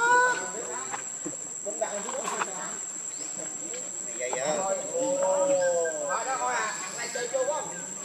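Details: Rainbow the monkey, angrily defending Lucie from Kachoy, gives drawn-out arched harmonic calls, rising then falling, clustered in the second half, amid overlapping chatter from other monkeys and a constant high-pitched hiss.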